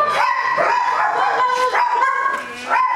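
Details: German Shepherd on a bungee leash, excitedly going crazy: a run of high, tonal, whining yelps that rise and fall, several in three seconds, with a person talking encouragingly over them.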